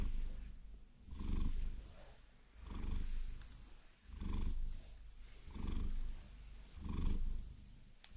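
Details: Vasilisa, a pet Maine Coon enjoying a long-nail massage, purrs steadily in a binaural recording; low throbbing rumble rises and falls roughly every 1.4 seconds, six swells in all, with soft scratching sounds and a sharp tap near the end.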